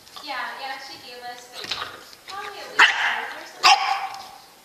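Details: Dog giving two sharp barks about a second apart near the end, after a drawn-out whining, voice-like tone; people talking throughout.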